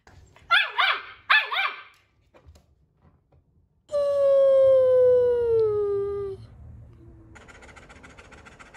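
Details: Talkative pet German Shepherd making its own funny sounds: two short, rough yelping barks, then a long, clear, slowly falling whine-howl lasting about two and a half seconds, with a faint hum underneath.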